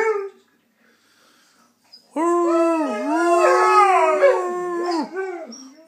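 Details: Singing Saluki, a pet dog howling along: after a near-silent start, a sustained, rich howl with a rolling, undulating pitch that rises and falls repeatedly for about three seconds before tapering off.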